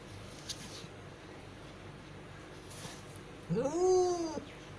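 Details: Cat in labour, delivering five kittens, utters a single short arched meow near the end, preceded by quiet background hiss and faint knocks.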